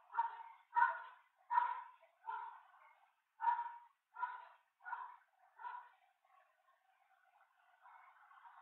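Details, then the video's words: A genet at a hoopoe nestbox, 1 June 2024, gives a run of about nine harsh, husky barks, roughly one every 0.7 seconds, fading toward the end before a faint background hiss. "genet at the hoopoe nestbox"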